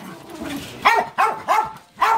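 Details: Zico, a Jack Russell Terrier, refusing to let go of a Cairn Terrier's toy in an excited free-for-all; four sharp, high barks come roughly every third to half second, with a faint voice and rustling just before.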